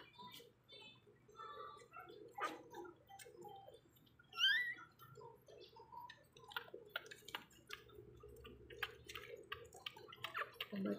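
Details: Two-week-old pug puppies being syringe fed, with one brief, high, squeaky rising whine standing out midway, surrounded by soft clicking and sucking noises and faint murmured speech.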